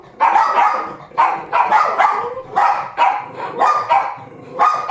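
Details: Two dogs barking at another dog on 31 January 2017, giving loud, harsh barks in quick pairs and clusters with brief gaps, the volume staying high and even across the whole stretch.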